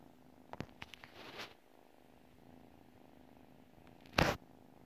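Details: Pet cat purring in its sleep, a low steady rumble broken by several clicks and rustles at the start and a loud brief scrape or thump near the end.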